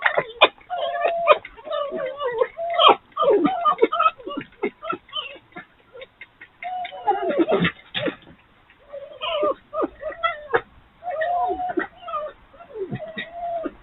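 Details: Night-time frolics of three wild urban foxes in rough play after a dominant fox turned up: continuous rapid, rattling chatter mixed with drawn-out whining wails and sharp squeaks.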